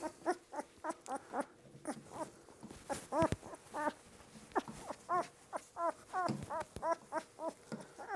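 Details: Two-week-old puppies during their first routine deworming with butterscotch-flavored dewormer; rapid series of short, high, harmonic whimpers and squeaks, roughly three per second, with a few louder yelps midway.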